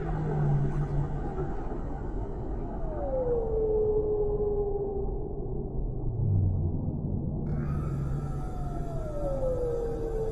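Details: Whales in the deep sea, set in a calm relaxation ambience: smooth tonal moans slide downward, one around three seconds in and another near the end, over a steady underwater rumble with a low hum early on.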